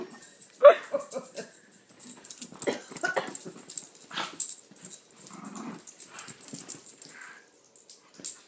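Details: Two small pet dogs playing together, Lilah, a Chiweenie, and Minnie, a Rat Terrier/Chihuahua mix, usually frienemies; a sharp high yelp rings out early, followed by breathy huffs, snuffling and scuffling of play.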